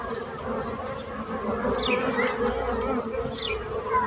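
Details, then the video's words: Continuous droning buzz of bees, an even mid-low hum holding throughout, while occasional faint bird chirps flick in the background. "So brutzit abelles - Bees sound - Bees buzzing sound effect"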